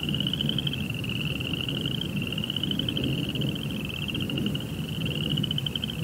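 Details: Crickets singing at night, a steady shrill pulsed trill holding a nearly even pitch with small wavering shifts, accompanied by a fainter lower pulsing tone and a continuous low background rumble.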